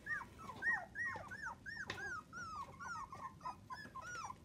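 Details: Miniature Dachshund puppies, a litter of seven between 2 and 25 days old, whimpering indoors: a steady run of high, arching squeaks, each bending up then down, overlapping as several pups call at once, with a soft bump near the middle.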